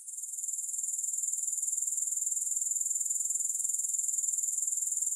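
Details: Grasshoppers with no music: a steady, very high-pitched buzzing trill that pulses evenly about four times a second and swells slightly in loudness over the first half second.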